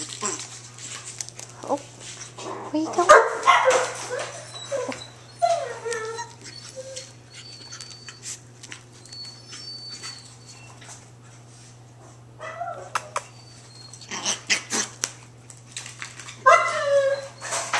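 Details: Emerald and Ruby, two ultra tiny female long-coat Chihuahua puppies, at play together; bursts of shrill yelps and falling whines break out now and then amid a woman's cooing voice, with patter and rustling between.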